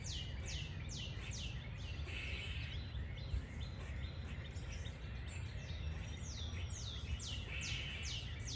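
A squirrel gives high, thin squeaks that slide downward, repeated in quick runs over a steady low rumble.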